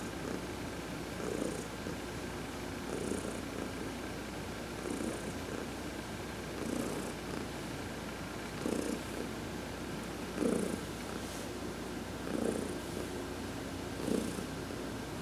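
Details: Heidi, a domestic cat, purring while being massaged during a sun bath in November 2020; soft rumbling purr with louder swells about every two seconds, each breath cycle rising and fading.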